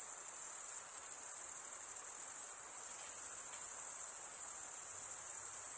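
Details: Crickets, chiefly males, stridulating with serrated wing veins: an even, piercing high-pitched trill, finely pulsed and unbroken for the whole stretch, above quiet low noise.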